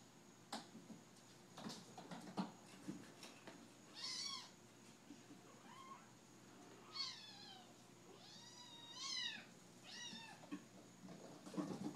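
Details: Seven-week-old kittens at play, giving several short rising-falling meows spread across the recording, some paired close together, over soft thumps and rustling of the kittens moving about indoors.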